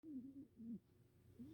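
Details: Rescued cat snoring indoors: soft low droning breaths, two longer snores then a shorter one, quiet and steady.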